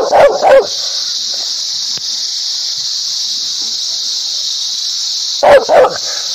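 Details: Barking dog, with a pair of quick barks at the start and another pair near the end, separated by a long stretch of steady hiss.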